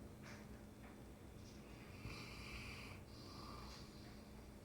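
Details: Snoring from a sleeping Mastiff: short wheezy, whistling snore breaths in quick succession, airy and hissing, with a faint steady hum underneath.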